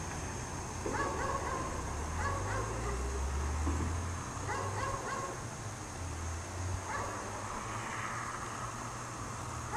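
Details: Dog chained outside all day in cold snow, barking at a distance: short harmonic barks in clusters of two or three, pausing between bursts, over steady low rumble and a constant high electrical tone.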